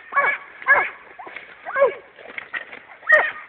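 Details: Dogo Canario, champion Hena or Dagmar, attacking on command; forceful, separate barks about every half second, with a handler's shouted encouragement in between.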